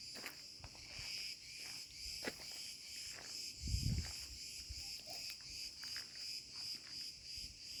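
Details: Cretan cicadas (Cicada cretensis) sing a continuous, high, metallic buzz in an olive grove after sunset at 34°C, with a few low thumps and a brief rumble of wind or handling beneath it.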